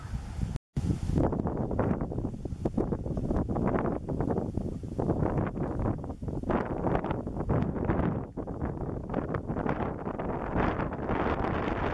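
Steady wind buffeting the microphone, with rumbling low noise throughout and no animal calls.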